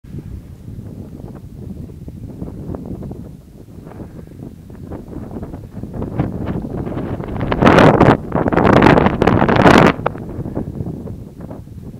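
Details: Wind buffeting the microphone in strong, rough gusts, swelling into a loud roaring burst near the end, with no animal voice heard.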